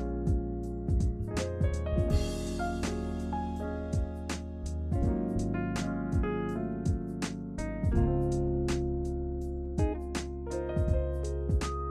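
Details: Piano music plays throughout, with struck keyboard chords and sustained notes.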